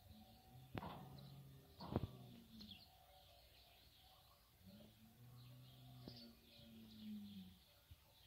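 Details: Berrenda en Colorado herd of cows and stud bull, low drawn-out moos, one short and one long, gently arching in pitch, with sharp clicks and knocks and scattered high bird chirps around them.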